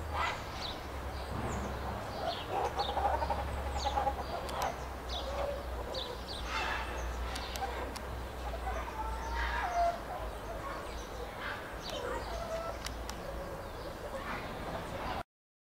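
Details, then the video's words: Chirping meerkats filmed at Rostock Zoo, Germany: scattered short high chirps mixed with lower, clucking mid-pitched calls, irregularly spaced, above a continuous low hum, ending abruptly in silence. "Cute meerkats chirping calling and vocalising"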